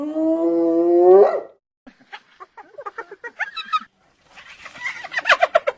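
A hyena gives a drawn-out rising wail, then breaks into rapid, high-pitched giggling notes.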